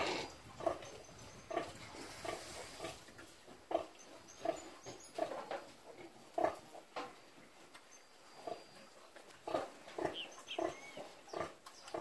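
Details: Caipira domestic pigs kept for subsistence in the countryside, grunting in short, low, throaty bursts at irregular intervals of roughly half a second to a second, with a soft constant hiss behind.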